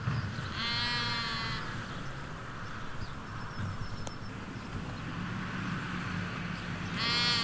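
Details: Sheep, ewes with their lambs, in a Hampshire countryside field, recorded by a hedge away from a road: a wavering bleat near the start and another rising at the very end, with soft rural background noise between.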